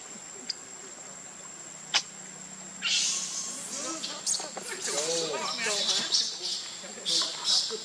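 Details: Baby monkey named Leo crying loudly, hungry and begging its mother for milk; after a couple of faint clicks, harsh, noisy high-pitched screeches burst in, mixed with short arched wailing tones that rise and fall, continuing in loud waves.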